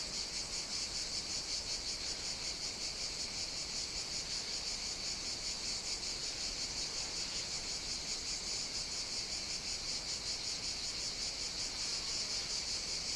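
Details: Cicadas on the Greek island of Evia on a hot summer day sing a continuous, shimmering high-pitched buzz that pulses rapidly without pause.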